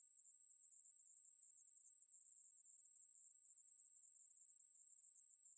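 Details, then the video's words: Ruspolia katydid song, shared by Korea's National Institute of Biological Resources in 2020: one unbroken, very high-pitched buzzing hiss held at steady loudness for the whole stretch, with no other sounds. "매부리, 여러번 듣기, 곤충소리"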